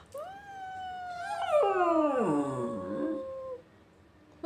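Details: A Lakeland Terrier, a pet dog that howls back when someone whispers or sings "awoooo", gives a long, steady, tuneful howl lasting over three seconds.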